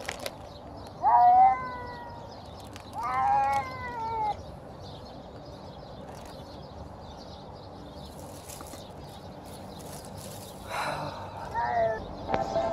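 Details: Hungry feral stray cat at feeding time outdoors making weird hungry noises: loud drawn-out meows with bending pitch, one near the start, another around three seconds, more near the end, with quiet pauses and a person calming it.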